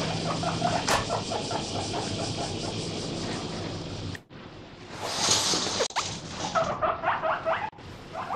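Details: Pet guinea pig weighing about 1 kg, kept in a home, begging loudly while eating grass; a run of repeated squeaky wheeks pulsing rapidly, then rustling and bumps with a short burst of squeals near the end.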